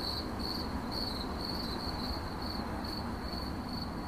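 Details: Cricket chirping in a relaxation recording processed as 8D audio: short high chirps repeated about twice a second in an even rhythm, over a constant low broadband hiss.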